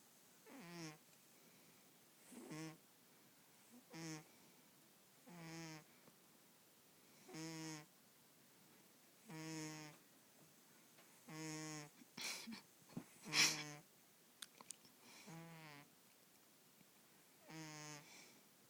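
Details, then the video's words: Sleeping female house cat that snores every day: steady rhythm of buzzy, harmonic snoring breaths roughly every 1.7 seconds, with a few sharper clicks and rustles midway through. "My cat snoring"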